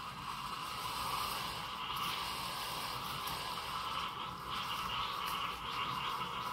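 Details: Steady hum and broadband indoor noise with a constant mid-pitched tone and faint scraping, no animal voice heard.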